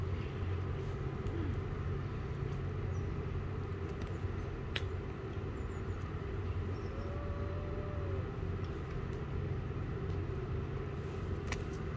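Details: Steady low rumble of street traffic and passing vehicles fills the recording, with a few clicks and no animal calls.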